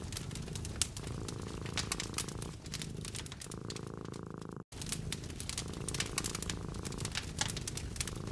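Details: Cat curled up beside a fireplace in a cozy winter hut, eyes closed and resting, purring steadily: a low, continuous rumble that swells and dips with each breath, overlaid by sharp crackles and pops from burning logs, with one brief dropout midway.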